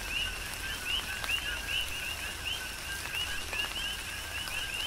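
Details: Chorus of coqui frogs in tropical rain, Big Island, Hawaii: overlapping two-part calls, each a brief low tone then a rising whistled chirp, repeating rhythmically under scattered raindrop clicks and soft rain hiss.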